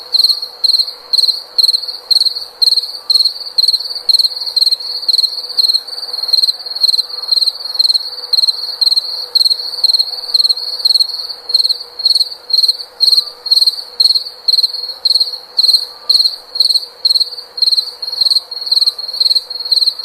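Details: A steady stream of high-pitched cricket chirps, short pulsed bursts repeating about twice a second without pause over a continuous soft background hiss.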